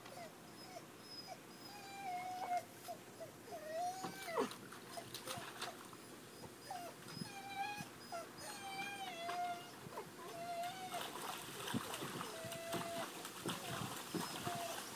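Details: Golden Retriever fetching a football from a pool, giving repeated high whining whimpers, some sliding up and down in pitch, with splashing and water noise throughout.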